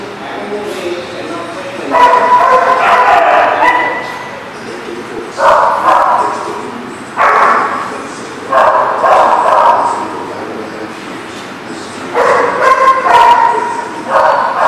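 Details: Dog barking on 24 September 2018, loud harsh barks coming in dense bursts a second or two long, separated by short pauses, with a steady background murmur.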